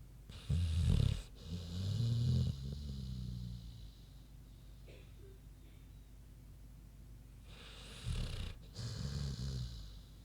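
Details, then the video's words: Big pig named Queenie snoozing, giving deep, grumbling snores in two bursts, one near the start and one near the end, with a long quiet stretch of soft breathing between them. "Big Pig Snoozin' (HD Queenie Snoring Audio)"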